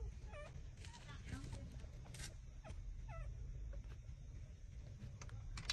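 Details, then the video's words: Newborn puppies, six days old, trembling as they suckle from their mother: thin, bending whimpers and yips come in brief bursts every second or two, set against a low rumble and soft rustles. "puppy -6-days-old taking milks tremble sucking"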